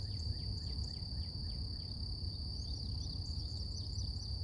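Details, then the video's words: Cicadas singing in nature in the morning: one steady, unbroken high-pitched drone holds the same pitch throughout, while nearby birds add quick chirps that slide downward. A constant low rumble of background noise lies underneath. "Relax With Cicadas Nature | Calming Insect Sounds"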